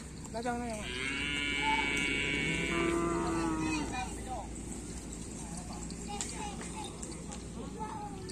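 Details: During bull race training on the Asemanis field in Pamekasan, one of two black bulls lets out a strong, sustained moo lasting about three seconds, then trails off into crowd chatter and background noise.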